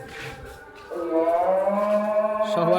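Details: Qurbani cow in 2025, one day before the sacrifice at Eid, lowing in a long, steady, drawn-out moo that starts softly and then swells louder and holds, with faint background noise.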